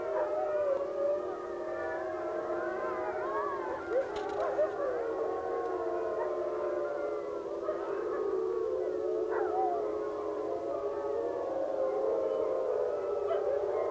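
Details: Several wolves at a wolf sanctuary give a morning howl around sunrise, long, overlapping, wavering tones that slide up and down.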